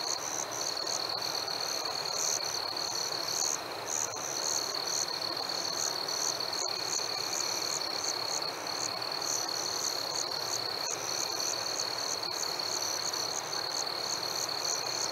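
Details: Night chorus of crickets on a warm summer evening: an unbroken shrill tone with rhythmic higher chirps repeating about three times a second, briefly pausing, then resuming steadily.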